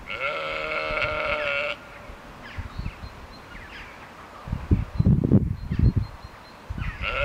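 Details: Sheep seen on a walk in Ballinrobe: one gives a loud, wavering bleat, then another begins after a pause.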